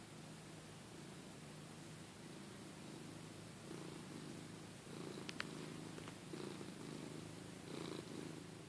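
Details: Lugosi, a domestic cat pestering his owner to get up, purrs steadily: a low, continuous rumbling throb that swells slightly in the second half, with faint rustling and a couple of small clicks.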